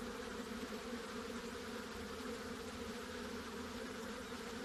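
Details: Honey bee buzzing as a constant low hum with strong droning tones, mixed with broad hissy background noise across the short stretch.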